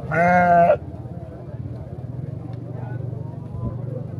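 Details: A goat gives a single loud, quavering bleat lasting under a second, rich in harmonics, followed by a steady low hum and faint background noise.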